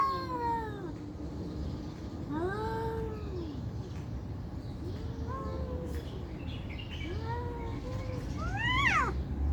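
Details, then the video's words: Angry cats in a fight yowl repeatedly: long arching moans rising and falling, about one every two seconds, ending in a higher, sharper rising wail, with steady low rumbling noise underneath. "Cat VS Cat Fighting|Angry"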